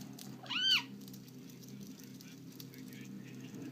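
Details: Bengal cat named Simba, playing indoors, gives one short rising-then-falling meow with clear harmonics; a low steady hum runs underneath in a small room.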